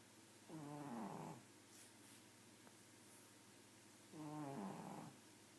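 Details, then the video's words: Sleeping pug giving two throaty, vibrating snores about three and a half seconds apart, each a buzzy rattle lasting under a second, with near silence between. "Snoring pug"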